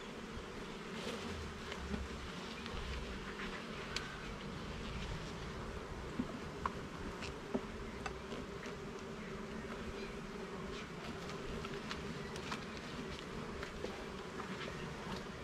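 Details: A garden honey bee hive opened for inspection of its levels and frames. The colony gives a continuous thick buzz, unbroken for the full stretch, with scattered sharp clicks and taps from the woodwork.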